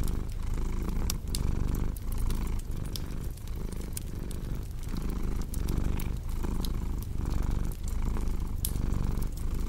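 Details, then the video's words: Domestic cat purring steadily, a deep low rumble pulsing in rhythmic breaths roughly every half second, mixed with the sharp pops and crackles of a cozy fireplace, indoors. "Purring Cat with Cozy Crackling Fireplace Sound"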